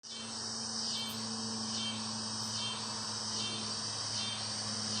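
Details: Cicadas chirping in a dense, steady high-pitched buzz, with soft pulsing swells roughly every second; a faint low hum runs underneath.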